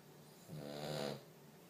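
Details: Five-month-old French Bulldog puppy snoring really loudly during a nap: a single drawn-out, rattling, harmonic snore lasting under a second, rising then fading, with quiet room tone before and after.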